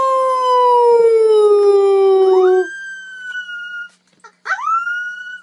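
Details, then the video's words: Puppy howl, possibly among its first: a long, clear note sliding slowly downward for nearly three seconds, then higher, shorter rising yelps with a brief quiet pause between them. "Puppies Howling"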